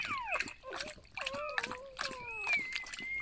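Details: Several squeaky, downward-sliding whines from newborn golden retriever puppies in a litter of eight, one after another, ending in a longer, steady high whine. Soft splashing and rustling sit underneath.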